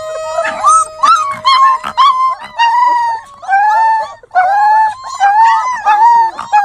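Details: Puppies give a run of high, tonal whining howls and short yips, each drawn-out cry wavering and sliding in pitch, coming in quick overlapping bursts with brief gaps, several voices alternating.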